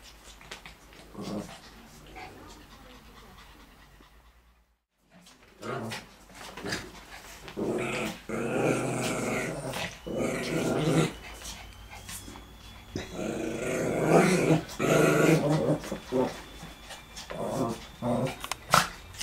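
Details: Lhasa Apso and Shih Tzu playing together, trading rough low growls and snarls in bursts, with a brief silent gap early, then busier scuffling growls and panting through the rest.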